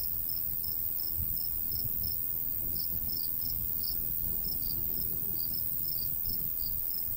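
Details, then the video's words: Countryside crickets in summer near a golden wheat field, sounding bright, high chirps in short bursts with small pauses, above a steady low breeze. "Countryside/cricket sounds"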